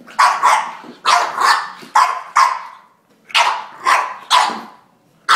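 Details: Angry French Bulldog fighting a drink shaker gives loud, rough barks mixed with growls, in pairs and triplets separated by short pauses.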